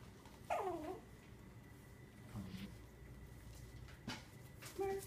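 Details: Four-week-old Cavalier King Charles Spaniel puppies at play: a squeaky whimpering yelp that bends downward, then soft low grumbles and a few faint yips, with a steady hum in the background.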